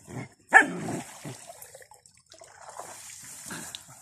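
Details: Young puppies roughhousing with their father: one sharp bark with a growly tail early on, then softer scattered grumbles and faint yips.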